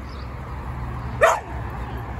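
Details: A single short bark from a shelter dog, a 9-year-old female Labrador Retriever or a 2-year-old male Siberian Husky Samoyed, in Long Beach, California, over steady low background hum.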